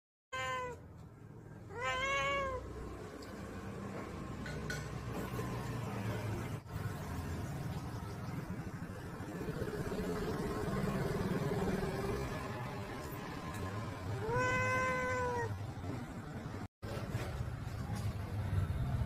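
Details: Lily, an angry domestic cat in a home garden, gives two drawn-out harmonic meows close together near the start, then a long stretch of low garden rumble before a third loud, sustained meow late in the clip.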